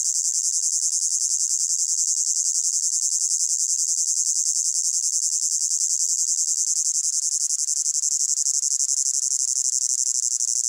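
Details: Crickets calling in a hot summer meadow: a dense, unbroken, high-pitched shimmering trill made of fine rapid pulses, holding steady at even loudness throughout with no gaps and no other clear sounds.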